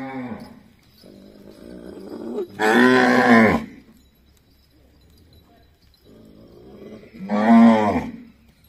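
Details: Cattle at the Majari ashram cow shelter in Jhunjhunu. Two loud, rich moos about four seconds apart, each starting with a lower lowing, then swelling into a strong, rough bellow before dropping away. The yard is otherwise quiet.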